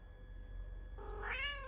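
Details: A pet cat called Charlie Chaplin meows in response while its owner talks to it. One loud, arching meow follows a quiet stretch, with a steady electrical-sounding hum behind it.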